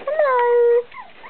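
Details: Five-week-old Chinese Crested puppies, just woken and getting into mischief, indoors: one long, clear, tonal whine that starts slightly higher, settles into a steady pitch, and lasts over half a second, then fades into soft rustling.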